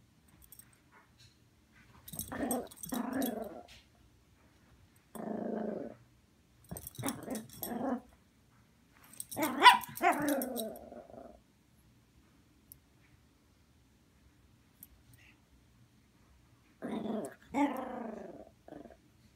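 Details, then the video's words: Angry female Poodle in a tantrum after waking, indoors: bursts of gravelly growls and grumbling barks, some pitched up into whiny yelps, spaced by silences, with a person calling the dog. "Poodle throwing a tantrum"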